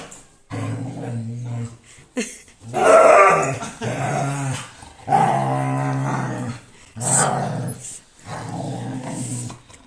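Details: Siberian Husky indoors being shaved, putting on a dramatic show of wailing and screaming: drawn-out, low, harmonic howls come in bursts of one to two seconds with short pauses, each rising and sagging in pitch.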